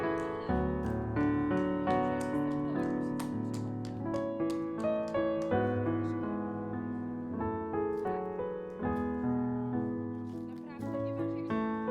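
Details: Steady solo piano music with flowing chords and melody throughout, no animal sounds present.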